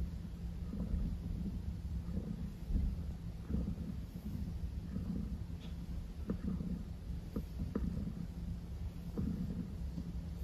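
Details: Maple, a house cat, purrs steadily in a low rumbling drone that pulses in regular breaths roughly every second, with soft clicks of handling noise and a faint constant background hum.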